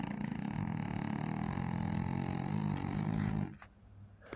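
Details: A female French Bulldog puppy, asleep, snores in a low, rattling drone that stops abruptly after a few seconds.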